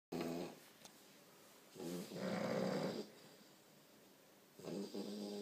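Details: A 4-month-old English bulldog puppy snoring, in a snore-off with an Alapaha Blueblood American Bulldog for loudest snorer; rough, rasping snores, one long drawn-out rattle in the middle, others shorter, in a quiet indoor room.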